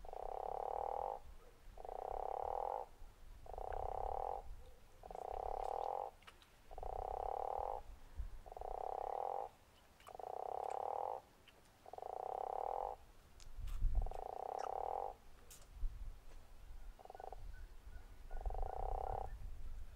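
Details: Snoring-type call of a guttural toad at Zeekoevlei: about a dozen pulsed, rasping croaks in a regular train, each near a second long, over low rumble and a few faint clicks.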